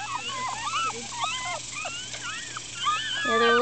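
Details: Several 4-day-old Miniature Schnauzer puppies, black and silver ones among them, upset and squirming, give overlapping thin whining cries that rise and bend up and down, with a steady low hum underneath.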